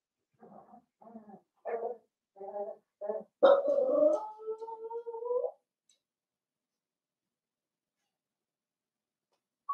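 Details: Blenheim Cavalier King Charles Spaniel puppies, a litter of five about seven weeks old, in an indoor puppy pen: six short soft yips in a row, then a louder drawn-out whine that wavers and falls away, followed by silence.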